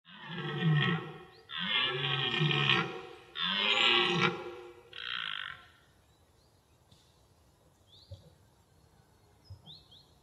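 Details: A bull elk in its natural environment gives a series of harsh, harmonic bugling blasts as a mating call, then falls quiet.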